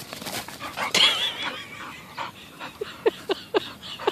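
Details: Rescued Bull Terriers at play, a nine-month-old puppy named Peyton and eleven-year-old Quigley: a thin, wavering high whine early on, then short sharp yips repeated about every quarter second, with faint human voices.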